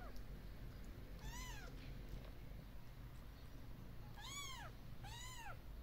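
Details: Kitten and mother from a group of once-abandoned cats now living in nature by a warm wooden shelter; three clear arched meows, one early and two close together near the end, over a low rumbling background.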